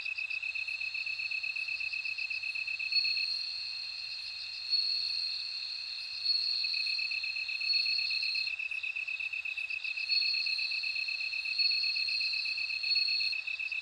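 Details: Continuous shrill ringing of bell crickets, a higher trill layered over a lower steady tone, swelling louder at intervals and pulsing evenly throughout.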